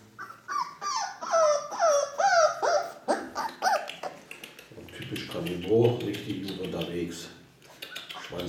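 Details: Four-week-old Ca de Bou puppies whimper and yip in a run of short, falling, whiny cries that bend downward, mixed with a woman's coaxing German voice calling them over.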